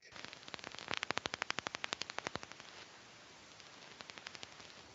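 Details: Brown long-eared bat (Plecotus auritus) echolocates while gleaning insects from trees: very quiet, dry ticks in a fast repetitive run, like a faint Geiger counter.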